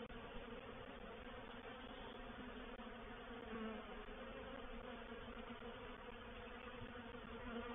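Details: Dense hum of a honey bee reproductive swarm occupying a swarm trap, Painted Peacock Manor, 04/07/21. A constant buzzing drone swells slightly at moments, with a brief dip at the very start.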